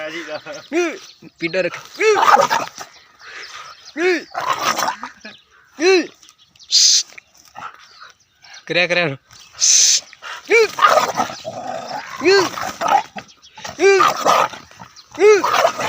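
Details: Dogs barking, kept as loyal guards of the house: loud harmonic barks repeated roughly every second or two, with a few short hissing noise bursts between them.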